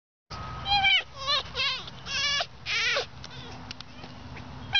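A fox calls in several quick bursts of high, quavering, whine-like yelps that waver up and down in pitch. A low steady hum runs faintly underneath.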